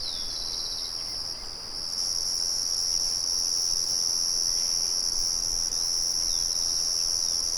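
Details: A loud, even, high-pitched cricket trill dominates, with a higher overtone band above it. Bird calls are barely present, and a faint mill murmur lies underneath.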